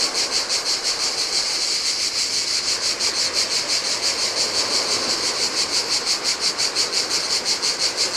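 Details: On a deserted Greek island beach in the heat, cicadas chorus beside the Adriatic: continuous shrill buzzing with regular rapid pulses, about three a second, over a low hiss of splashing waves.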